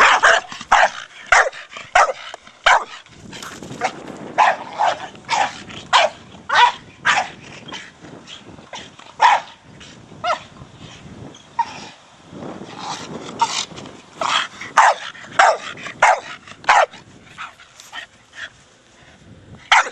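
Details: A Staffordshire Bull Terrier named Brogan, four years old, barks repeatedly at play with his big hard plastic ball, the short barks falling roughly every half second or so over twenty seconds, some louder, some softer.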